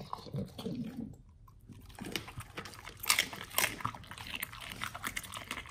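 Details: Pit Bull crunching through raw beef chunk, quail egg and duck wing: loud bone-cracking bites and sharp crunches between softer wet gnawing, in a small indoor room.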